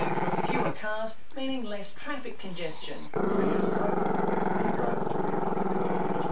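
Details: Maltese-Shih Tzu pup named Chester, who dislikes the camera: a human voice speaks for two seconds over a low rumble, then the pup's deep throaty growl swells back louder and continues steadily to the end.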